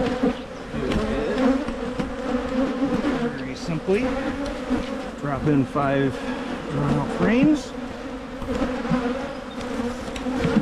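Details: Honey bees at hives in Michigan being split to prevent swarming: a steady low droning hum with layered overtones, broken by individual bees zipping close past the microphone in swooping rise-and-fall buzzes.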